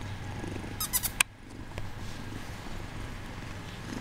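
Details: Bengal kitten pretending to sleep, purring with a low pulsing rumble after a short burst of sharp clicks and rustling near the start.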